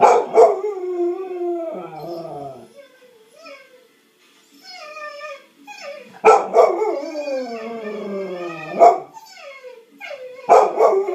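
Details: A Cocker Spaniel named Gimmy gives drawn-out, falling, howling yowls broken by sharp barks.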